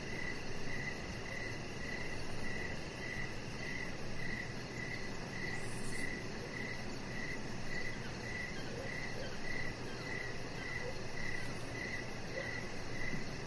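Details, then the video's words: Evening cricket chorus outside by a deck strung with decoration lights, high clear chirps pulsing about every half second in an even rhythm, over a persistent low rumble. "Chihuahua Puppy Laying On Deck with Cricket Sounds"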